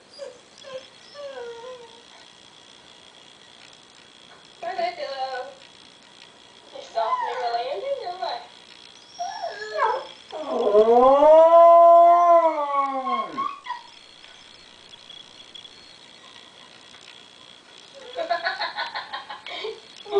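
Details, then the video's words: Pet dog Diva, missing her grandson after hearing him on the computer, gives scattered whimpers and yips, then one loud arching howl midway; human voices and laughter appear between the dog sounds. "Funny Dog missing Baby"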